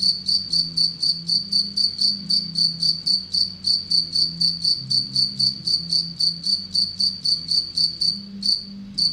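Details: A captive, relatively aggressive Anadrymadusa retowskii bush-cricket kept with Anacridium aegyptium as prey gives rapid, regular, high-pitched buzzy pulses, about four per second, with one brief gap near the end; quiet low tonal hum behind.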